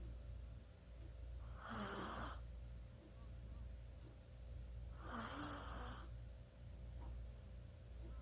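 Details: Chihuahua sleeping and snoring, recorded 24 October 2020: two long breathy snores about three seconds apart, each a soft hiss with a low wheezy squeak, over continuous low hum.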